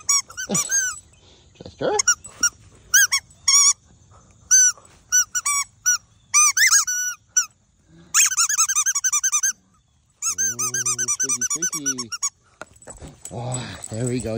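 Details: Boston Terrier Chester, outdoors in the morning playing with his football and chasing it, gives a low buzzing growl for about two seconds, between many short, sharp, high squeaks repeated in quick bursts.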